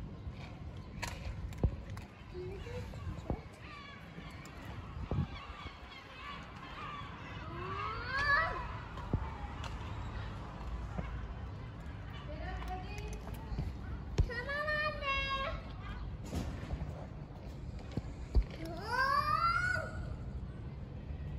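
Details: Hungry stray cats living on the street gather and ask for food, giving drawn-out arching meows with rich harmonics, several in quick succession near the end, over low street rumble and occasional human voices.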